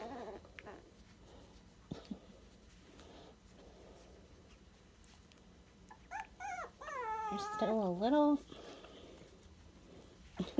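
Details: Twenty-three-day-old Dachshund puppies, sandstone coloured, mostly quiet at first, then a loud drawn-out whine with sliding, wavering pitch lasting about two seconds, followed by a short squeak; a woman speaks softly.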